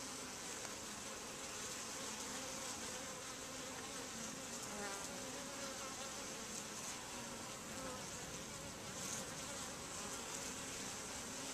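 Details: Many honey bees coming and going at the entrance of a super-hive, producing a continuous, even droning buzz with slight swells in loudness.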